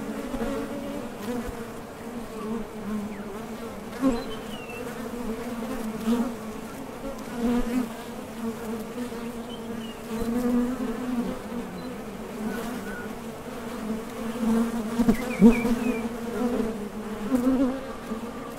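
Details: Steady low humming of many honey bees at a top bar hive entrance, bees coming and going to gather nectar; the drone rises and dips in loudness with passing fliers, and a few faint distant bird chirps are heard.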